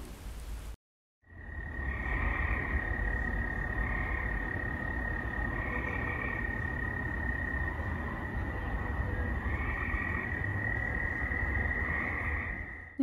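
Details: Gray tree frogs calling at night in Missouri, with field crickets. The frogs give short trilled bursts on and off, about every two to four seconds, over the crickets' steady high, unbroken chirring, which continues the entire time.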